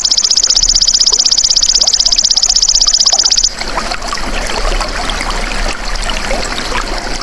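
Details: Golden grasshopper, a natural insect sound used to train songbirds, opens with a sharp, high-pitched rapid pulsing trill that cuts off about halfway, leaving a trickling, crackling outdoor background.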